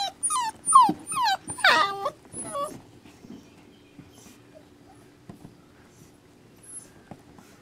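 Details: Rescue puppies giving a burst of loud, piercing, falling whines and yelps in the first two and a half seconds, then dropping to near quiet with only faint rustles and a low steady hum.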